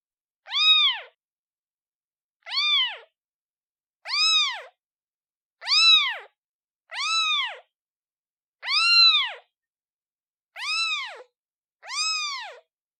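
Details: Calls of a newborn kitten seeking its mother: eight short, bright meows with arched pitch, coming about every one and a half seconds, clean with no other sounds.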